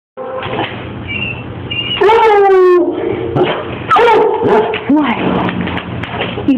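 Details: A Basset Hound "sings" with drawn-out, mournful howls that waver and slide downward, with a person talking nearby.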